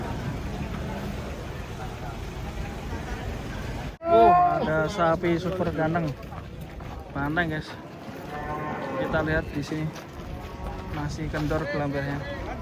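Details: Cattle being unloaded from a truck give loud, harmonic lowing calls in a run of short bursts that begin abruptly partway through, rising and falling in pitch, over a steady low rumble of background noise.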